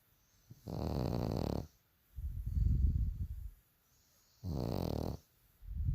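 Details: Sleeping bulldog snoring loudly: deep, rattling breaths alternating between in and out, each about a second long and following one another closely.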